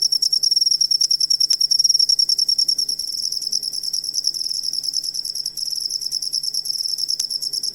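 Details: Cricket sound meant for training songbirds; high, ringing pulsed chirps, strong and evenly spaced at first, then blurring into a denser, softer trill, with a couple of faint clicks.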